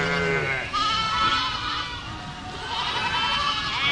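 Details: Goats bleating: a low, steady harmonic bleat opens, then higher wavering, nasal bleats overlap one another through the rest of the four seconds.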